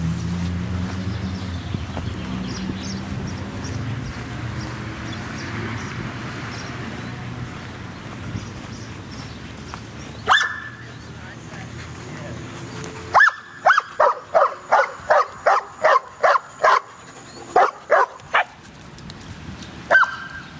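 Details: Dog barking at a dog park: after a single bark, it breaks into a rapid volley of about ten sharp, evenly spaced barks, with a low rumbling background before it.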